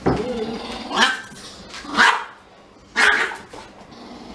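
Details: Siberian Husky crying while kept from sniffing a little Pomeranian: three loud, bright yelps about a second apart, with a softer whine at the start and quiet gaps between.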